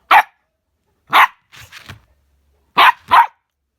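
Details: Playing husky and chihuahua: five sharp, high, yappy barks in irregular pairs, with softer muffled grumbling sounds in the middle pause and near silence between.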